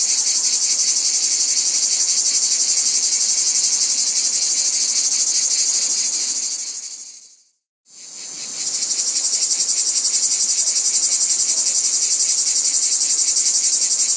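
Cicadas drone in a dense, high, shrill buzz that fades out briefly and then swells back.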